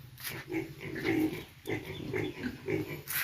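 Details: Young piglets newly brought to a pig farm, a quick run of short grunting calls with a steady low hum underneath throughout.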